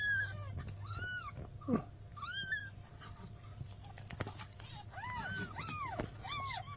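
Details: Newborn kittens beside a mother cat asking for help give scattered high, bowed meows, several overlapping near the end, with clicks and a low hum underneath.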